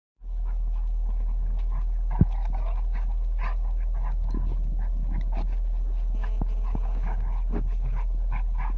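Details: Two Golden Retrievers, excited on arriving for a 2019 seaside camping holiday in Bude, Cornwall, whine and pant over a heavy low rumble of wind or engine noise. Identified as Golden Retrievers.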